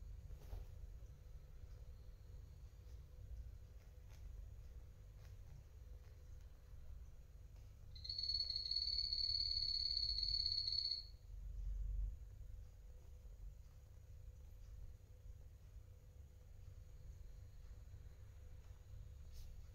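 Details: Pet guinea pig, one of two adult males named Coffee and Toffee, while eating; a steady high whistle-like tone with a faint pulsing flutter lasts about three seconds mid-clip, over a low continuous rumble.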